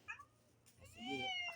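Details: Domestic cats reacting to cat food being shaken in a bottle; a single drawn-out meow rises and then falls, following a short faint mew at the start, indoors.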